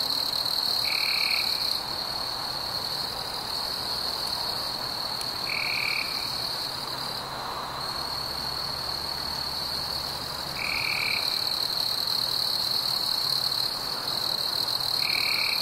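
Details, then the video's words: A continuous high, even cricket trill fills this warm summer night, with a brief softening midway and four short lower buzzy notes at irregular intervals. "Fireflies and Crickets - Calming sounds of the night"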